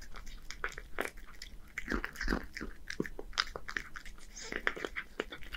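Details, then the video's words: Hige, a one-year-old male Scottish Fold living in Japan, eats canned bonito wet food indoors: wet, smacking bites and chewing clicks in quick irregular bursts, with loud crunchy spikes around the second second. "Cats eat bonito wet food with good sound [eating sound]"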